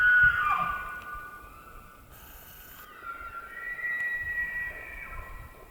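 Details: An elk (Cervus canadensis) bugles during the rut in the White Mountains of Arizona: a high, eerie whistling tone that slides down and then holds steady.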